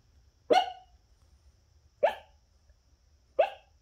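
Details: A Boston Terrier puppy barks in its sleep, giving three short, soft, muffled yips spaced over a second apart.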